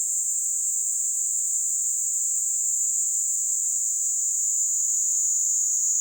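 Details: Kaempfer cicada, Platypleura kaempferi, singing while held on a hand in Japan's Kanto region in July: a constant shrill buzz, dense and unwavering for the whole stretch.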